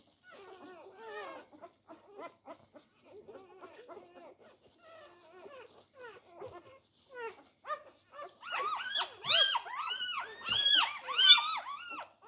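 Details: Newborn Labrador Retriever puppies, four days old, fighting for teats. Faint scattered whimpers at first, then louder, higher, strongly arched squeals build in quick repeated bursts toward the end.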